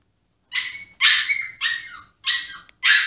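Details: A Pomsky just placed in his cage throws a tantrum, whining in high, strained, wavering bursts that fall away, while howling and pawing to get out.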